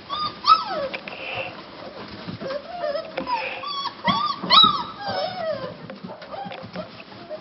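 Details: Cane Corso puppies from one kennel litter, several calling at once: thin, high whines and yelps that slide up and down, overlapping in quick bursts, with a faint murmur in the background.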